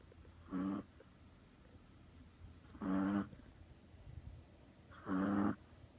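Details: A Chihuahua sleeping soundly on a lap like a cat snores in three short, raspy, rumbling breaths spaced about two seconds apart, with quiet pauses between them.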